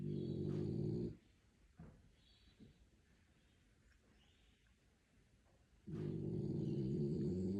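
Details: A sleeping French Bulldog snores: two long, low, rumbling breaths, each over a second long, separated by a quiet pause of nearly five seconds, with faint soft background sounds.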